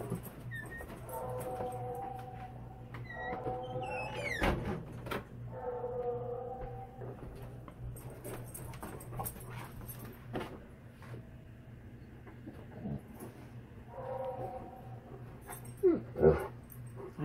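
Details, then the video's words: Tonka, an Alaskan Malamute, reacting indoors to a Tennessee Mountain Man Bigfoot recording: several short, wavering, whine-like tonal calls with stacked harmonics, spaced a couple of seconds apart, over a steady low hum and scattered clicks. "Malamute Reacts To Tennessee Mountain Man-Big Foot AKA Sasquatch"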